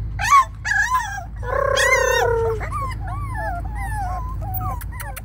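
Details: Rescued Spaniel/Papillon mix puppies taken from a kill shelter: high whines and yips, some rising then falling, a long wavering whine near two seconds, then a string of shorter looping whimpers over a steady low hum.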